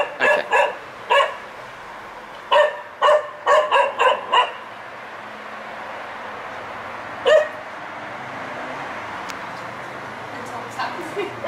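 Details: Year-old spaniel let out into a garden, barking mindlessly at nothing: short sharp barks in quick bursts of two to four over the first four seconds, one lone bark at seven seconds, then faint yips against steady background hum.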